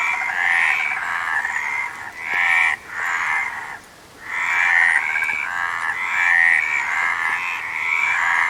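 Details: Frog chorus: many overlapping, rapidly pulsed mid-pitched croaks form a dense, nearly continuous rasping din, with brief lulls around two and four seconds.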